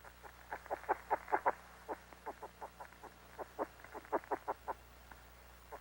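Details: A caterpillar's call, made audible through a very sensitive microphone after it is placed on a membrane: quick, dry clicking pulses in short irregular bursts.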